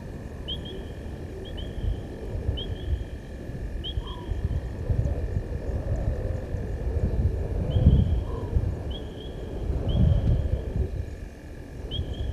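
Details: Male lion at Gowrie dam, Djuma Game Reserve, Sabi Sand Wildtuin, South Africa, evening of 18 August 2022, roaring after crossing the dam wall. Deep, low rumbling swells with heavy grunts near eight and ten seconds, over repeated high chirps and a steady hum.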